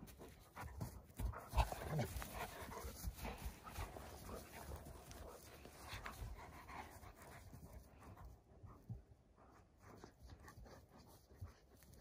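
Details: Alabai puppies, Central Asian Shepherd Dogs, exercising in the morning amid some snow during a mild winter, 3 February 2021; quick irregular huffing pants run throughout, with a louder snort-like burst near the second and a softer close.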